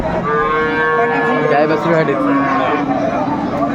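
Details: Dairy cow of an improved breed, kept with calves at Aftabganj haat, Dinajpur, 21/4/24. One long, level lowing tone opens the clip, then trails into shorter wavering notes amid steady crowd murmur.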